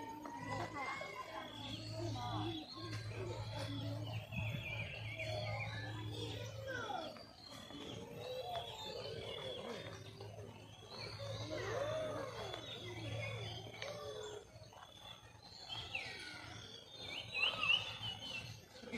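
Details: Siamangs (Symphalangus syndactylus) at the roadside beside Tasik Perak give loud, overlapping whoops and barks that rise and fall over a low engine hum.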